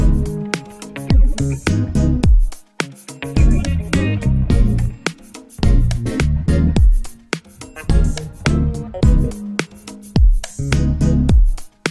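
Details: Loud funk track with a punchy bass line, guitar and a steady beat throughout, and no animal sounds.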